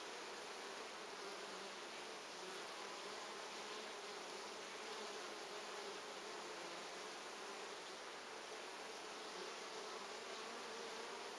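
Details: Honey bees at hive number 3 of an apiary, recorded on 14 August 2011: a steady, dense, unbroken hum of many bees with a low drone and a hissing upper layer throughout.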